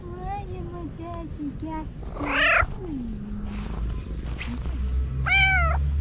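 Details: A female tabby cat, jealous of a dog being petted in the morning among many cats, gives loud, rising-and-falling meows asking to be petted, between a person's soothing words.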